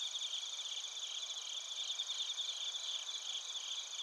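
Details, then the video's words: High chorus of bell crickets and other crickets from Narita, Chiba Prefecture, Japan, recorded on a TASCAM Portacapture X8; layered, shrill, unbroken trilling with a soft fluttering pulse over a faint hiss of background noise. "スズムシとコオロギの鳴き声 - Chirping of crickets"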